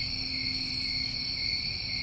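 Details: New England summertime crickets trilling in a steady, high night chorus, with a brief shimmering burst of higher notes.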